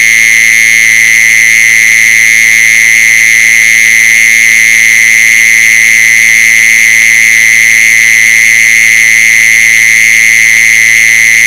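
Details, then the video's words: Continuous mole cricket trill for attracting the insects, a steady, piercing buzz that never breaks or shifts in pitch, layered with thin higher overtones and a faint low drone. "เสียงล่อแมงจีซอน กะมล HD ต่อเนื่องไม่สะดุด 10 ชั่วโมง [แมงกระชอน/จ๊กโจน]"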